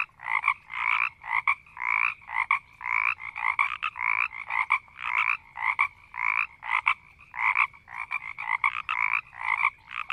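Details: Several frogs in a marsh croaking and growling slowly, a dense run of short raspy pulsed croaks at two pitch bands, repeated roughly twice per second with uneven spacing, overlapping callers, no other clear sounds.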